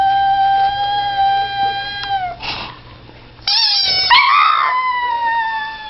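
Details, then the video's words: Howling pug reacting to a squeaky toy: a sustained harmonic howl dipping at its close, a quiet pause, then a sharp rising start into a wavering howl that slowly falls away. "howling at a squeaky toy"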